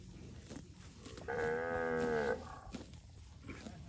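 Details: Healthy fat village cattle roaming rice fields, one cow giving a single steady, harmonic-rich moo about one second long amid quiet outdoor background.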